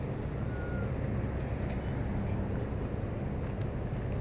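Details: Steady low rumble of traffic or engine noise in an outdoor urban setting, with no animal sound heard.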